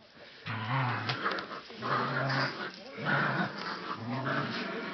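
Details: Dog growling while playing with a rope: low, rumbling growls in four bursts of about a second each, separated by short pauses, with faint voices in the background.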